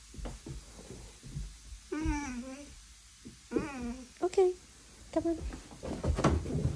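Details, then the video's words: Vizsla in the morning giving drawn-out, wavering whiny groans in about four bouts, each rising then sagging, with soft rustling and brief quiet gaps between them indoors. "Mornings with a Vizsla"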